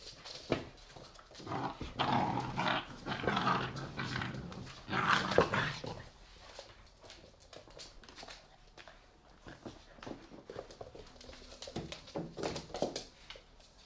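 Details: Pit bull puppies, three months old, at play in an apartment in 2017. Over the first six seconds they give dense, rasping growls. Then come quieter scuffling, panting and scattered small clicks and thumps in a small indoor room.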